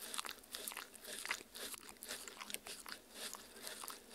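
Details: Crisp, bright bites and moist chewing clicks repeat in quick bursts as a dog eats homemade strawberry, meat and agar-agar jello worm treats for Halloween, recorded indoors with a Tascam R-40.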